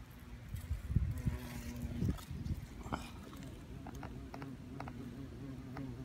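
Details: European hornets at a nest that fell when a large limb broke off an ancient oak on the Isle of Wight. A low, steady droning buzz fills the second half, with thumps and rustling handling noise early on.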